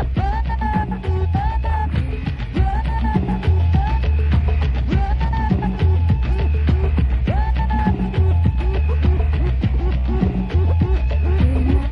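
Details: Loud, upbeat music with a steady thumping beat, a repeating melodic figure and some singing, with no animal heard.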